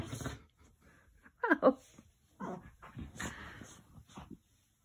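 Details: Mastiff indoors in a small room, giving short whining and whimpering calls with bursts around one and a half and three seconds, quieter murmuring sounds between them.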